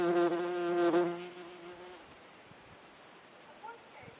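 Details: A paper wasp flies close by with a loud harmonic droning buzz for about one second, then fades away into quiet background hiss with faint distant sounds.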